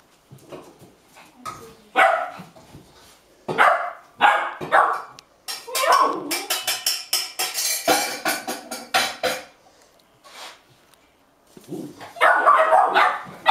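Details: Eager eight-and-a-half-week-old Golden Retriever puppies in Haute-Savoie, France, January 2013, barking while waiting for a meal; sharp repeated barks come in clusters, then a dense run of rapid overlapping yaps before a pause and renewed barking.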